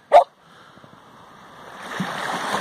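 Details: Samoyed on seaweed at Nairn Beach, Scotland, August 2017, letting out one sharp bark, then steady rushing surf and wind that grows louder.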